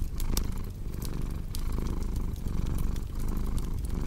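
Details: Steady low purr from a cat, throbbing in short breath cycles, with bright crackles and pops of burning wood from a fireplace.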